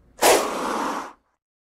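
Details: A single forceful hiss from a Gila monster: a harsh, airy blast about one second long that starts loud and then fades slightly before cutting off.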